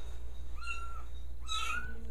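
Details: Kitten being fed indoors at a friend's house gives two meows: a level, slightly falling cry, then a louder, higher, rising-falling one. A faint household hum sits underneath.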